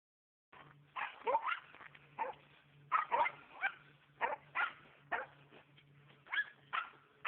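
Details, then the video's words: Norrbottenspets hunting squirrels on private property in Oregon, barking in short sharp yaps in irregular bursts, some doubled, with a faint low hum beneath. "Norrbottenspets Squirrel Hunting"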